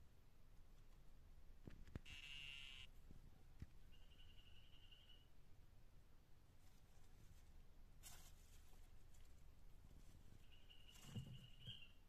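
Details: Dyeing poison dart frog of the tumucumaque form calling: three buzzy, level trills at a steady mid-high pitch, each lasting about one second. The first is loudest. Low rumbling background and a few knocks occur between them.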